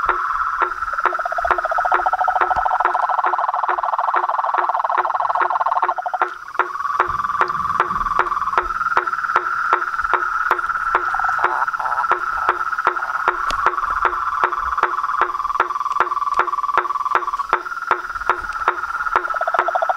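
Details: Frogs and toads calling at nightfall from a pond in front of a house veranda: dense chorus of steady buzzy trilling bands near mid pitch, cut through by sharp regular clicks about every half second, one caller shifting pitch around six seconds.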